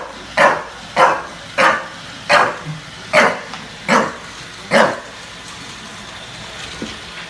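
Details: A bulldog in New York City confronts a robot vacuum cleaner with seven sharp, hoarse barks spaced roughly every half second to second. The dog then goes silent, leaving only a faint low hum in the room.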